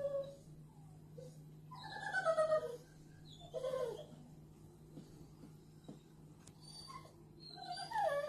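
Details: Ten-week-old American bulldog puppy in a Merseyside home whining: a few high, wavering whimpers and short squeaky cries separated by quieter gaps, over a constant low hum.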